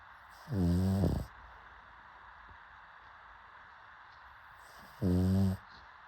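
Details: Two short, deep snores from a pug, each under a second and about four and a half seconds apart, low and vibrating with a soft hiss of breath between.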